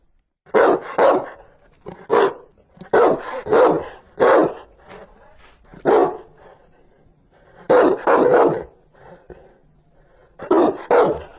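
A Rottweiler barks fiercely in deep, gruff bursts, often doubled, with short pauses between.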